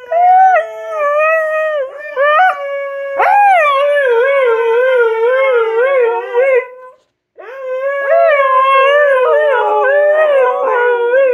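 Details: Siberian husky howling for no reason in a drawn-out song: several wavering, warbling howls with rising swoops, one long quavering note of about three seconds, a short pause, then another wobbling howl to the end.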